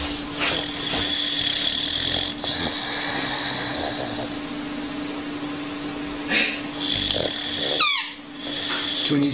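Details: Sleeping dog snoring on the sofa at home: raspy, breathy snores repeating through the recording, with a short squeaky sound near the end and a constant low hum in the room.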